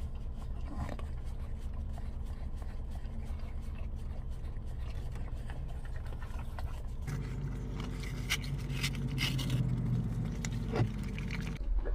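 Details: A car engine idles and rumbles, with scraping and faint urban noise at a drive-through, and no animal sound.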